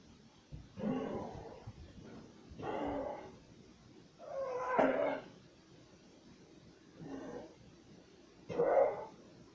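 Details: Elderly 13-year-old pit bull indoors, barking and coughing while watching outside a window; five muffled, rough barks about two seconds apart, fairly quiet over a low background hiss.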